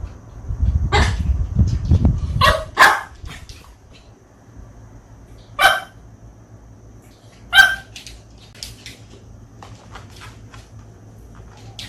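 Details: Mongchi, a pet Bichon Frise, barks at beloved stuffed toys that were secretly washed and hung up in plain view. About five sharp single barks come several seconds apart, with low rumbling handling noise early on.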